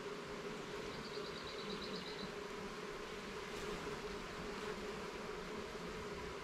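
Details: Garden beehive opened for inspection of its frames, honey bees producing a constant low droning hum, with a short, faint stuttering chirp early on and soft rustling in the background.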